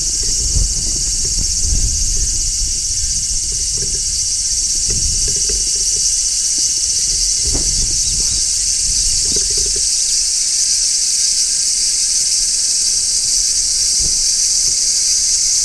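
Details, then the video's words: In midsummer, large brown cicadas shrill from a tree in an unbroken high, hissing drone. Faint low thumps and handling knocks are heard in the first ten seconds, then only the even chorus remains. "Cicadas Singing in Midsummer | Large Brown Cicada"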